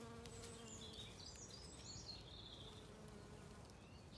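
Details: Bees buzzing while feeding on wood anemones in a wood in spring sunshine on a regenerative farm in County Kilkenny, Ireland; a steady low hum throughout, with bird chirps and twitters scattered above it.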